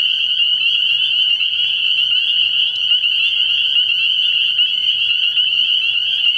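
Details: Many spring peepers calling together at a frog pond at night, early in the year, their overlapping shrill peeps merging into a constant ringing high-pitched drone.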